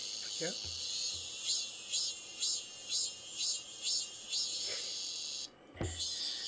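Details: A cicada in the hot season, a kind the observer cannot name but suspects from its "sseurreu" trill, gives a high, buzzy drone that swells in regular pulses about twice a second, with a man speaking briefly.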